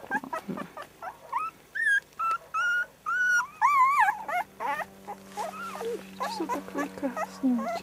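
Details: Litter of four three-week-old puppies whimpering: many short high squeals and longer level whines in close succession, some wavering, with low background hum and a woman's quiet voice.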